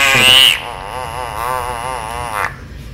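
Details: A stressed pacman frog being handled gives a loud, drawn-out, wavering scream, a harsh wail of distress.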